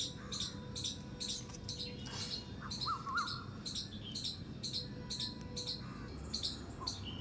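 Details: A squirrel in a terrace garden gives a rapid series of sharp, high squeaks, repeated several times a second.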